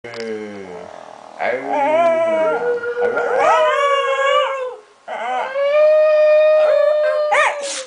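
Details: Small pet dog 'talking' with its owner, giving long, wavering howl-like vocal tones that rise and bend in pitch, several drawn-out phrases broken by short pauses.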